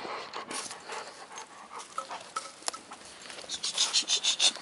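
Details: A Labrador Retriever playing a game with a stump pants hard: breathy rhythmic bursts, about three per second, growing louder and more regular toward the end, over scraping and rustling.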